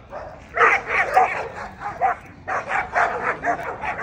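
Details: Short volleys of barking from an American Pit Bull Terrier at the 2024 ADBA Tristate conformation show, 12–18 month female class: quiet first half-second, then quick bursts, a brief lull near two seconds, and another burst of barks.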